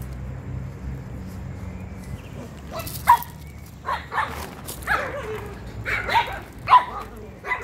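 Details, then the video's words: Gioconda, a female Chihuahua in Simferopol, Crimea, lets out a run of short, high yapping barks spaced irregularly after a quiet start, with a person talking to her between the yaps. "девочка чихуахуа"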